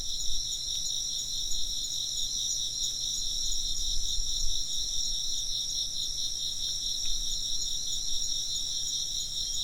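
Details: Many insects chirp at once, a shrill layered trilling that never pauses, with a low rumble of ambient noise underneath.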